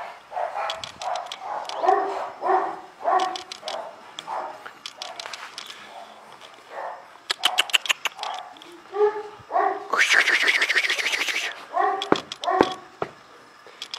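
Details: An Illyrian Shepherd, ancient Albanian guard dog of the Balkans, barking steadily and repeatedly in a deep, hoarse voice, with bursts of sharp ticking and a brief loud hissing noise partway through.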